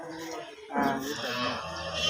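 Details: Cattle on a cow farm: a deep, drawn-out harmonic moo begins partway through and holds steady to the end, with people talking nearby in a small, echoing space.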